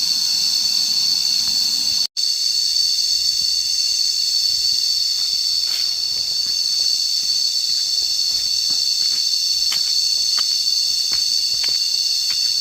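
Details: Constant, piercing cicada drone from a relaxed walk outdoors, unbroken apart from one abrupt dropout near the start, with faint scattered clicks and taps sprinkled over the steady hum.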